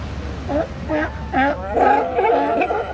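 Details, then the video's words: Sea lions at La Jolla Cove bark, one hoarse honking bark setting off the next in a quick overlapping chain. "Sea Lion Barking Chain Reaction"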